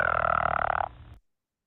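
A pickerel frog calls with a throaty, snoring rattle of fast pulses lasting about a second. It resembles a leopard frog's call but sounds deeper in the throat, trailing off into a quieter grating end.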